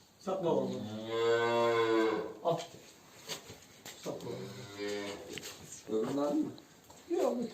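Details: Simmental cow, one of two on a farm with silent heat, given a hormone implant by a vet before insemination with imported semen; a long, low, drawn-out moo of about two seconds, then two shorter moos, with people talking nearby.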